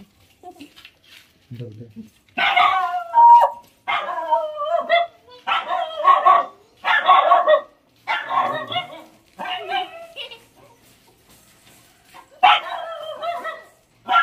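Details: A litter of four Lhasa Apso puppies: a faint low voice first, then a run of eight loud, harsh yapping barks about a second apart, a pause, and one final bark volley.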